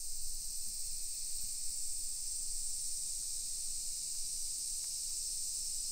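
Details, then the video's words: Chorus of summer cicadas heard while walking residential streets in Nisshin near Nagoya, Japan, at 1 PM on 28 July 2021; a constant high-pitched buzzing hiss, even in loudness, with a few faint ticks beneath. "Summer Cicadas Sounds"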